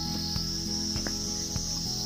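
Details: At Dawaipani, a cold high-altitude village in Darjeeling district, a cricket gives an unbroken, high-pitched trill at one steady pitch throughout, with faint low clicks and soft thumps beneath.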